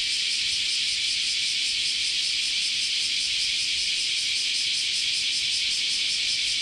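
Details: Japanese summer cicada chorus at Kyoto's Chionji Temple: a loud, sustained high buzz with a clearly audible rapid pulse, steady from start to finish.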